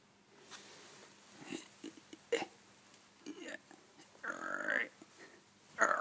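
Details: Lazy Shiba Inu dog indoors, refusing to leave his bed even with the door wide open: short throaty grumbles, then a drawn-out whiny moan that bends upward, ending in a sharper whine, with faint rustling in a small room.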